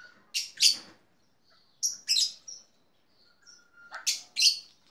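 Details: Backyard black-tufted marmoset: loud, piercing high chirps in three clusters, each of two or three notes, with a faint thin whistle just before the last cluster.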